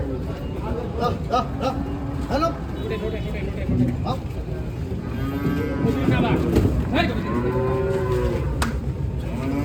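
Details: Cattle of mixed breeds arrive at the Arankola livestock market on a Tuesday and are unloaded amid busy crowd noise. Several overlapping low moos rise and fall, with clacking sounds and voices throughout.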